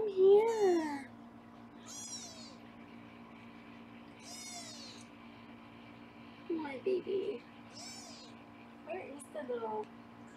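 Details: Foster kittens in Los Angeles being weighed indoors give short, high, bent meows at irregular intervals, mixed with a woman's quiet talking between calls.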